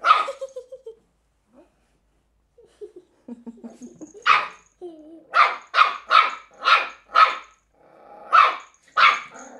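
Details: Cairn Terrier puppy named Willow, three months old, playing with an empty bottle: a run of short, sharp high barks in a quick series after a few softer whines and rustles, with faint crinkling of the bottle.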